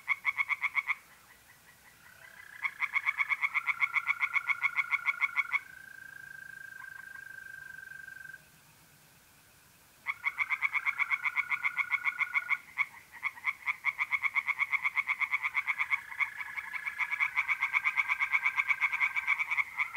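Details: Night chorus of singing tree frogs in a pond, North-East Italy, mid-April: long runs of loud rapid rattling croaks with short pauses, while mole crickets keep up a steady ringing trill beneath.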